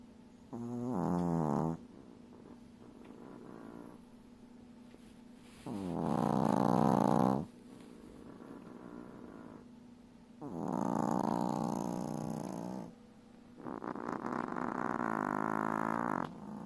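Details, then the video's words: Chihuahua puppy sleeping beside her mother, snoring loudly like a piglet: four long, rasping, buzzy snore bursts about every four seconds, with quieter breathing between. "Chihuahua Puppy snores loudly 🐶😂 like a piglet"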